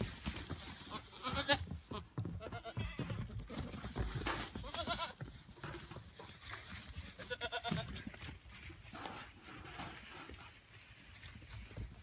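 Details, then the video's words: Goats having fun on a Friday give a few wavering, nasal bleats spaced several seconds apart, heard over a steady rushing background noise and a faint high hum. "Goats Having Fun on Friday"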